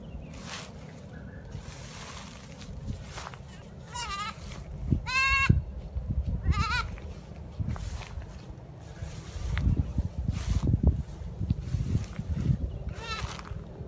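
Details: Young kid goat brought freshly cut grass, calling eagerly for food: several wavering, nasal bleats spaced a second or so apart, then one more near the end, over low rumbling background noise.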